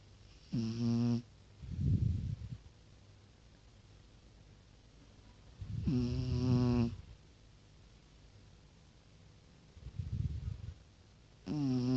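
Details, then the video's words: Tosha, a beloved pet Pekingese, snoring loudly: a tonal, buzzing inhaled snore lasting under a second, then a softer breathy exhale puff, the cycle repeating roughly every five seconds in a quiet room. "Пекинес Тоша-храпун"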